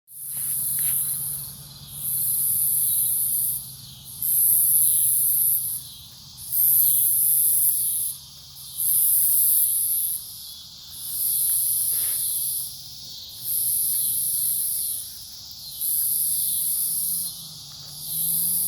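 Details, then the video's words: Cicadas singing at night in a forest near a farm in Omaha, Nebraska, 08 03 2021: a high, hissing buzz swelling in long bursts about every two seconds, with short quiet gaps between pulses and a faint low hum underneath. "Forest near the farm at night, cicadas"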